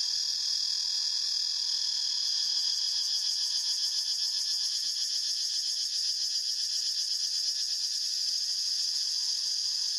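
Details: Cicadas in a forest in a dense, unbroken high buzzing chorus. It throbs at about four pulses a second and keeps a steady loudness for the full ten seconds, with no other clear sounds.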